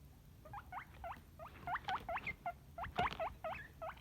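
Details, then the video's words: Guinea pig giving a lively string of short hooked squeals, each rising sharply, about four a second. Bright whistled pitch with overtones, and an occasional soft thud underneath. "Guinea Pig Sound Effects"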